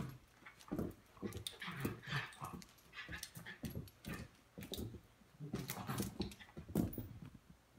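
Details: Miniature schnauzer indoors in a small room, facing off with a stuffed schnauzer toy; bursts of low, rough growling and huffing come in uneven runs across the clip, with short breathy snorts between them.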